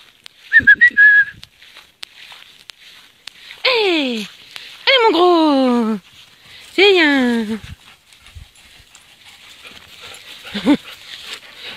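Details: Lively, happy standard poodle giving three loud, drawn-out whining cries that slide downward, each about a second long, plus a shorter one near the end. A man's voice speaks between them, and there is a faint background hiss.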